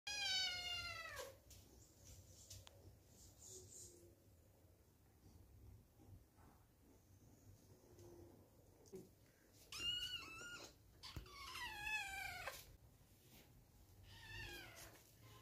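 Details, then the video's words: Two kittens meow loudly in excitement over a new treat: high, harmonic meows at the start, then a cluster of rapid overlapping cries later, with soft clicks and rustles between them. "Adorable Kittens Meowing Loudly for Their New Delicious Treat!"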